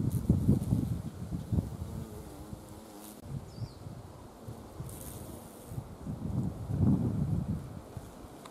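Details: Carpenter bee gathering nectar at wisteria flowers in spring, deep humming wingbeats rising in loudness near the start and again toward the end, softer steady drone between, slight rustle of foliage.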